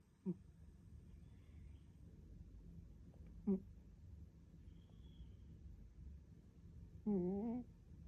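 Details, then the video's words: Maatan, a 14-year-old female American Shorthair cat ill with kidney disease, asleep and perhaps dreaming indoors: three brief, wavering, murmuring sounds with a rich harmonic tone spaced about three to four seconds apart over a quiet room hum. "いびき 夢見てるのかな？"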